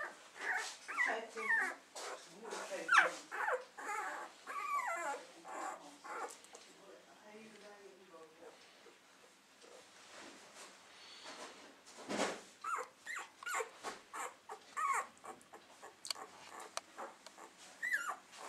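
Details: A nest of Keeshond puppies: soft, overlapping squeaks and whines, some bending up and down in pitch, interrupted by rustling and shuffling, a quieter stretch in the middle, then more scattered whimpers.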